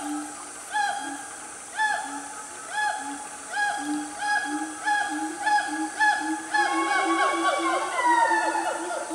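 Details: Wild siamang family calling in Gunung Nuang forest, Selangor, Malaysia, on a cool morning: hooting notes repeated about once a second, building into a dense flurry of rising and falling cries near the close.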